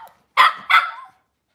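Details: Cavalier King Charles Spaniel in a breeder's kitchen on a cloudy Monday morning, giving two sharp, bright barks in quick succession, the second trailing off, in an otherwise quiet room.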